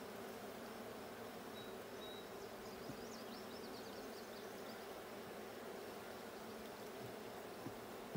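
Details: Honey bees of the blue hive during a hive check on June 20, 2022: a steady, dense low buzzing drone, with faint high bird chirps flickering above midway through.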